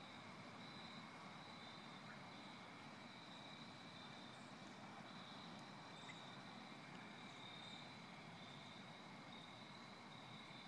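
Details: A steady chorus of crickets trills without pause over a broad background hiss, recorded in Connecticut in autumn after rain on 4 October 2014.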